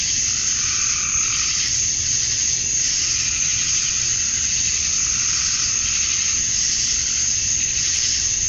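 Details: Georgia, USA, on a summer night at dusk: male cicadas chirp to attract females in a continuous high hiss, with slightly lower buzzy swells surfacing briefly, as from other nearby insects.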